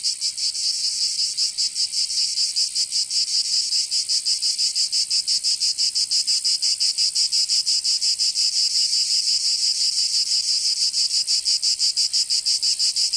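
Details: Summer cicada chorus in Provence, in the south of France: a dense, shrill buzzing pulsed in fast regular beats, continuous and unchanging over the whole stretch, with nothing else audible.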